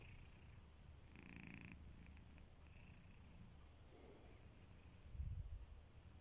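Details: Sleeping pet cat Kitiboy snoring softly: a half-second raspy inhale, a long quiet stretch of low breathing, then a louder deep rumbling snore near the end.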